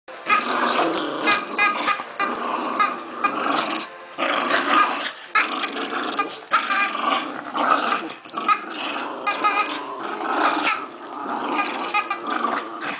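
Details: Puppy Rupert and Pipi the dog in a tug of war over a Christmas turkey toy; continuous rough growling in rapid pulses, broken by brief gaps, with squeaky toy sounds mixed in.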